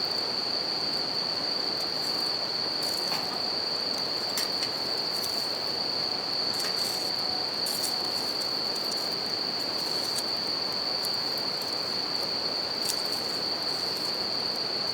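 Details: High, even ringing of bell crickets at night near a campfire along a river, unbroken for the whole stretch, set against steady river rush and a few bursts of crackling flames.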